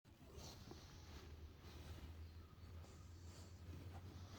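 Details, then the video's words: A domestic cat snoring: low, rumbling breaths come in a steady series of short pulses, each under a second long, over faint indoor background noise. "Snoring cat"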